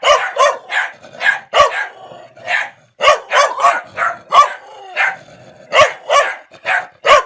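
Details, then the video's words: A dog angry at someone trespassing on its territory barks in quick bursts of sharp, harsh woofs, backing away as the person approaches. "Dog barking woof woof"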